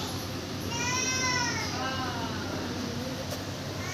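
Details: Kalu the kitten gives a clear meow that rises then falls over about a second, followed by a softer, shorter second meow, all over a steady low indoor hum.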